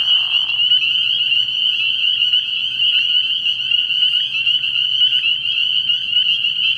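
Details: Spring peepers calling together at night from a frog pond in early spring, a steady, piercing high-pitched chorus of countless overlapping peeps, opening with a short lower rasp in the first half-second.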